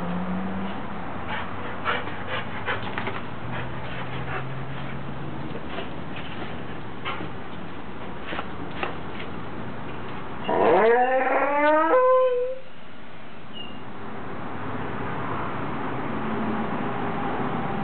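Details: Pet dog, L'Bear or Snowball, yawning indoors: after ten seconds of faint room noise and soft clicks comes one drawn-out squeaky yawn lasting about two seconds. It rises sharply in pitch, then slides down into a short whine before quiet returns.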